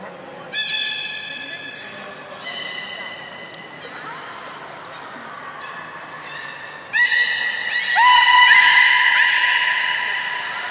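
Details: Captive belugas Gray, Nana and Niko during a training session after the 16:00 public training at Port of Nagoya Public Aquarium, Japan, on 1 January 2019: sharp harmonic squeals, then steady whistled tones and a bright rising call near the end.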